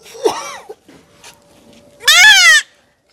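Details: Goat kid being castrated lets out a short, wavering cry, then a loud, tremulous bleat lasting about half a second. Quiet background otherwise.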